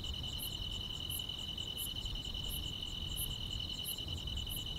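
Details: Summer-night grass insects chirping in a still rural setting, a continuous shrill buzzing trill with brighter clicks pulsing at even intervals of under a second, faint low-frequency background hum beneath.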